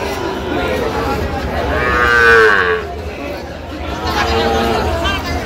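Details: Sahiwal bull calves at a cattle market in Noakhali, Bangladesh, on 24 October; a drawn-out mooing call swells and falls over about a second, then a fainter moo follows, over a constant murmur of crowd and outdoor noise.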